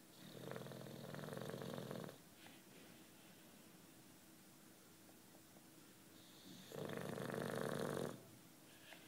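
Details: Sleeping 9-year-old British Bulldog named Juanito snoring indoors: two long, rough, rattling snores about six seconds apart, with quiet breathing between them.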